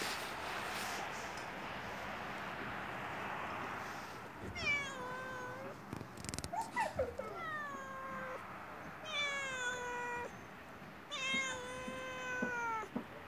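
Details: Hungry yellow stray cat outside a house, meowing to ask for food: a steady hiss of passing traffic first, then about five drawn-out, falling meows, each bending down at the end.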